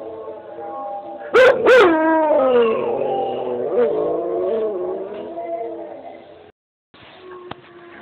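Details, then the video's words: Pet dog howling back in answer to another dog heard from a screen: two sharp rising yelps, then a long wavering tonal howl sliding slowly downward with rich harmonics, fading out after about five seconds, followed by brief quiet and a faint click. "Howling Molly"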